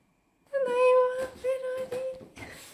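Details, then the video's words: Shetland sheepdog whining: a long, steady, high tonal whine held for about two seconds, broken into three sustained segments with a brief rising note at the end, in a small indoor room. "鳴き声 Whine"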